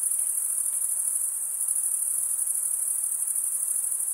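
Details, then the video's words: Unbroken shrill cricket chorus, a fast buzzy trill held at one very high pitch and an even volume, over soft background hiss. "Most relaxing cricket sound"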